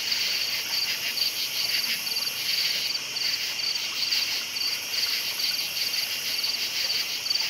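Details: Crickets at night, a dense chorus of high, steady chirping pulsing in rapid repeated beats, with overlapping insects forming a continuous shimmering band and no other clear sounds.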